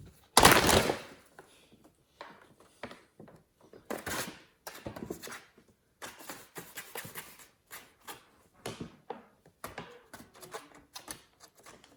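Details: Crackling rustle and scattered thumps of kittens playing with a plastic bag indoors, with no animal calls.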